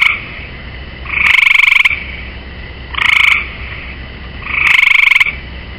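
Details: Perched on the rail of a swimming pool, a gray tree frog gives three rapid rattling trills of about half a second each, roughly two seconds apart, with the tail of an earlier call at the start.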